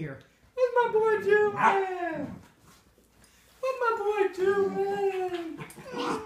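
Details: A jealous female Miniature Schnauzer whining indoors at a beagle-boxer mix staying in the home; two long, high, wavering whines with slowly falling pitch, separated by a short quiet gap.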